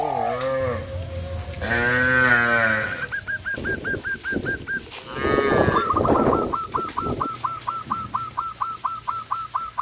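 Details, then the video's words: Cows on a traditional village farm, running in fear into the forest: two drawn-out, wavering moos, followed by a rapid run of short, repeated, hooked chirps against a rough background. "sound of cows"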